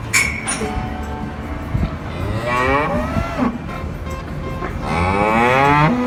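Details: Farm cows, including calves and adults, give long, low, drawn-out moos with a rich harmonic tone, apparently mooing to each other.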